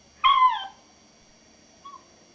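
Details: A Maltese puppy gives one short, high, slightly falling howl in response to hearing the neighbour's chickens, with a faint brief echo about a second and a half later.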